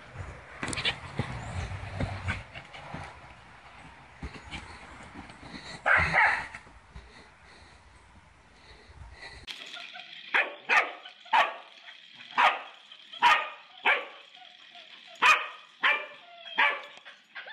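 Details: Mona Lisa the corgi, a pet dog, with a noisy stretch of clapping and voices followed by a run of short, sharp barks repeated roughly every second.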